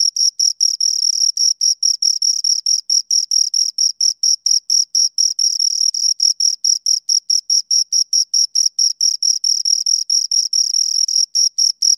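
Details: Bright, high cricket chirps from a pair of insects, evenly pulsed and repeated more than twice a second, a steady metallic trill pattern with a faint overtone and silent background.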